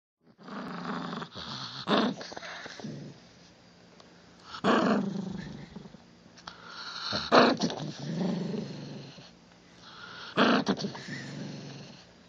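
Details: Pet Chihuahua growling indoors in a small room, harsh rasping growl bursts swelling and fading roughly every three seconds, with quieter rumbling between outbursts.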